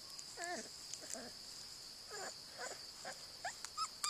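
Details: Airedale Terrier puppy playing with her mother: faint short whiny squeaks and yelps, wavering and bending, scattered through the clip over a steady high hiss.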